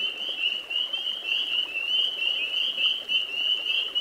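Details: Spring peepers, males calling amorously on a spring night near ponds and swamps: an unbroken, shrill sleigh-bell-like chorus of high whistled peeps pulsing gently in loudness.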